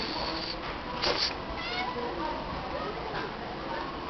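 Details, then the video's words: Female stray cat that meows whenever her name is called, answering people; a short harmonic meow near the one-second mark, then fainter drawn-out mews, over steady background noise with some human voices. "the singing cat!"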